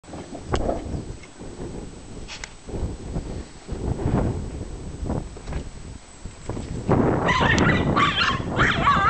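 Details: A 1-year-old male Jack Russell Terrier attacking a badger from a scaffold gives muffled, choppy barks in quick irregular bursts over heavy rumbling noise, then higher, strained, wavering yelps and whines.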